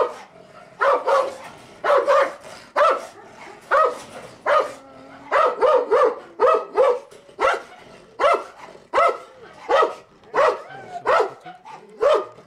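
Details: Territorial barking from a female Turkmen Alabai under a guard test. The coarse, loud barks are repeated roughly every second, sometimes paired, with brief quiet gaps between bursts.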